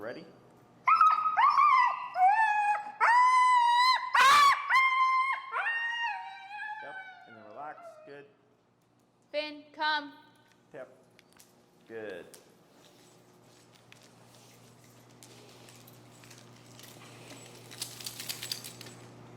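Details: Finn, an extremely vocal dog, during e-collar recall training in Chicago: high, drawn-out whines with bent, wavering pitch come in a run over the first eight seconds, then fade to a quiet room with faint hiss.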